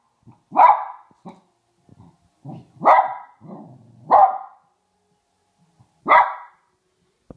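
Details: A Maltese dog barks at Santa Claus on Christmas Eve, sharp, high barks spaced one to two seconds apart, with soft growls between.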